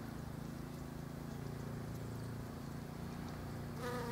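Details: Bees foraging among pink Japanese quince blossoms: a steady low droning hum runs throughout, and a louder, richer buzz swells in near the end as a bee passes close.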